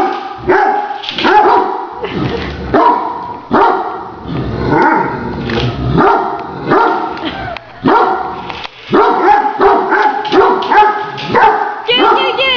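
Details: Great Danes bark excitedly at a remote-controlled toy tarantula. About a dozen loud, ringing barks follow one another almost without pause, some overlapping, forming continuous barking throughout.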